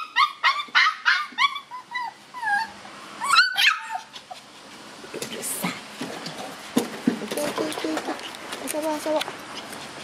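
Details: Shiba Inu puppies at tug-of-war let out a quick series of high yelps in the opening seconds, then scattered squeaky whimpers over rustling and scuffling sounds.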